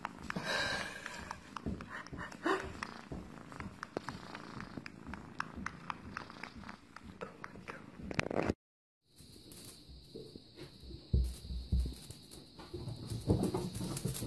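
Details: Russian Blue cat purring in a steady low rumble with scattered clicks and rustles, broken by a brief silence midway and followed by a faint high whine.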